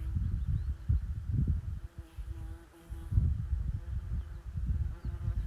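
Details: In early summer sunshine on moorland climbing toward Simon's Seat, Bolton Abbey Estate, a curious bee hovers close with a steady, low droning buzz on one pitch, half buried under gusty wind rumble.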